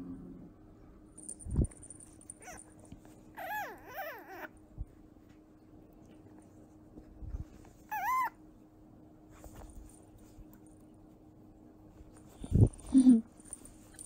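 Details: Young fennec fox about two months old, being affectionate; a few short wavering, whiny squeaks with rising and falling pitch in two bursts, plus soft thumps and rustling in a quiet room.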